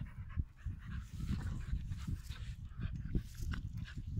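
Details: Pit Bulls play fighting, low rumbling growls and snarls pulsing continuously with panting breaths, all energy deep in the bass, brief rough bursts throughout.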